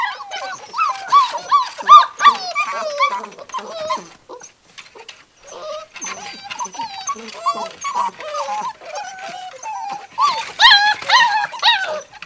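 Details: Six-week-old Gordon Setter puppies playing rough in a living room; a busy chorus of squeaky whines and sharp yips, quick wavering squeals bunched in bursts with a quieter lull midway, faint talking in the background.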